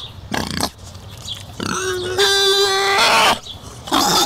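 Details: A European wild boar gives harsh, rasping snorts, then a drawn-out, steady squeal of about a second and a half, followed by another rough burst.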